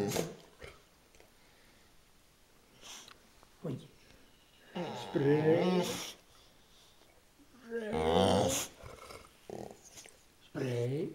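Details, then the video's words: Talkative bulldog-boxer mix indoors giving drawn-out moaning, grumbling vocal bursts with rising and falling tones, mainly around five and eight seconds, with quieter short grunts between and some human voice. "Talking bulldoxer"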